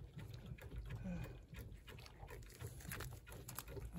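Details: Puppies suckling milk from their mother: soft, low grunting and wet smacking sounds run continuously, broken by a few faint squeaks, with quiet human voices in the background.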